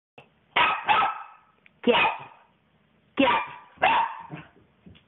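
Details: Puppy barking in a small room, mystified by a popped balloon: four sharp, harmonic barks in two pairs, separated by short pauses, followed by a person asking where the ball went.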